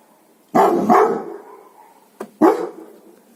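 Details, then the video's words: Dog, breed not stated, giving a heavy double bark followed by a single loud bark, with a brief click between them and a low hum behind, in a small room. "DOGS BARKING to Make your Dog Bark | Dog Breeds Barking Sound Effects HD"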